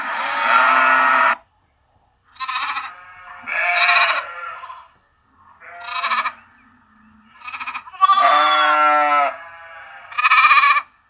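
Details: Sheep and lamb bleats, six separate quavering baas of about a second each, some high and bright, others lower and rougher, broken by short silences.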